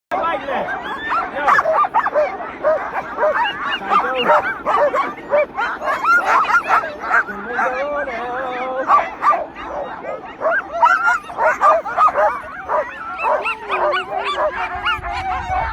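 A pack of sled dogs barks, yips and howls together in an excited, overlapping chorus.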